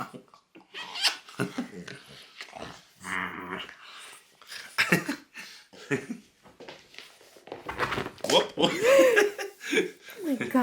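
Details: French Bulldog making odd indoor noises: snorting grunts, breathy snuffles and growly rumbles in irregular bursts, with a short whiny squeal near the end and a person talking in between.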